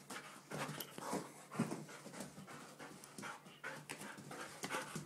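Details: Golden Retriever, excited, panting fast and breathy at about two huffs per second, uneven in rhythm, with faint whimper-like catches in the breath.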